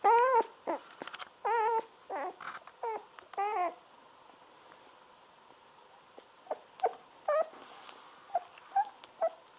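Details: Seventeen-day-old Golden Retriever puppies being bottle-fed milk while lying on their backs; high wavering squeals with a trembling, baby-like quality come in a run of several calls, then fade to scattered short squeaks after a pause.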